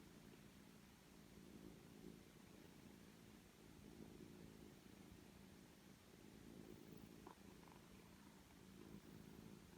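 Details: Purring from a rescued foster cat family indoors: mother Jill with her three-week-old kittens. A steady, low, rumbling purr runs throughout with soft pulsing texture and a few faint clicks; the room is otherwise quiet.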